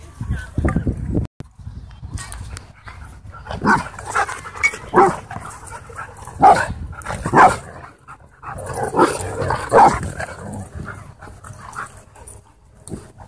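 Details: Husky at a dog park, playing with and taking on other dogs; short harsh barks and vocal bursts come in irregular clusters, with other dogs and background voices mixed in.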